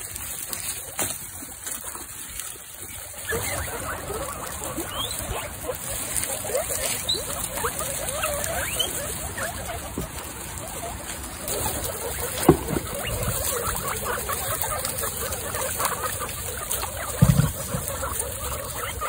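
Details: Standing up in excitement, a herd of 26 female guinea pigs wheek, giving scattered thin rising squeals in the middle stretch, with rustling bedding, a couple of sharp knocks and constant hiss behind.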